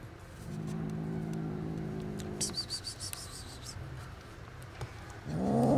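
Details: Angry kittens, estimated two months old, growl at a feeder as their mother cat stays close. A steady low rumbling growl gives way to handling noises, and a sharper rising yowl breaks in at the end.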